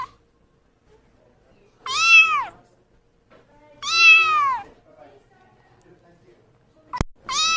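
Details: Kitten with loud, clear meows that arch upward and fall away, spaced about two seconds apart, with a sudden click just before the last call.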